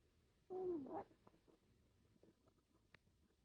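A sleeping Chihuahua gives a single nasal snore, a short wheezy tone that slides downward.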